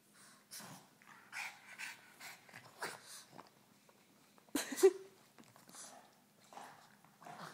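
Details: Two Boston Terriers playing tug-of-war snort, huff and grumble in short breathy bursts, with one sharp yip partway through.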